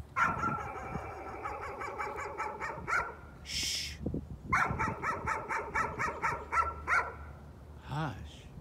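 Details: Dog keeps up its nuisance barking in two long, rapid strings of barks. Between them comes a hushing sound, and a short human voice is heard at the end.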